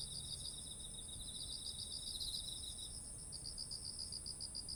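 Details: Autumn insects chorusing beside ripe, heavy-headed rice fields, recorded on a ZOOM H1essential: a steady high-pitched ringing drone, over it a rapid, evenly pulsed chirping, and a lower shimmering trill that stops after about three seconds, above a soft low rumble.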